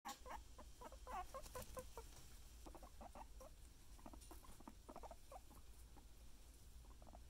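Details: Happy pet guinea pigs giving a run of short, soft, pulsed chirps in quick irregular bursts that keep going throughout, over a low steady hum.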